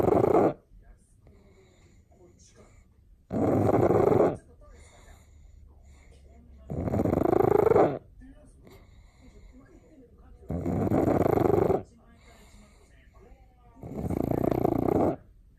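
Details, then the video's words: Pug snoring loudly during a daytime nap, recorded close up: five harsh, rasping broadband snores about a second long each, repeating roughly every three and a half seconds with quiet breathing between them. "パグ犬さくら 大いびき！"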